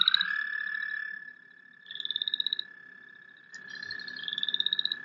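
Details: American toad call played as a recording, with a chorus frog also audible: a long, steady, high musical trill running almost unbroken, overlaid by bursts of higher, rapidly pulsed, rising chorus frog trills.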